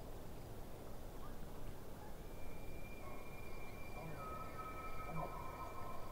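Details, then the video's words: Distant elk by a lake: a long, thin whistled call holding a steady high note with a fainter lower tone beneath, over a dense low rumble and faint pulsing insect chirps. "Distant Elk"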